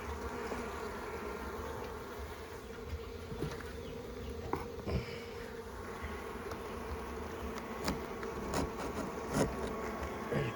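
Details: Honey bees at a garden hive on a cool, overcast spring day, fairly calm while a honey super is added: a steady low droning hum throughout, broken by scattered clicks and knocks of hive handling.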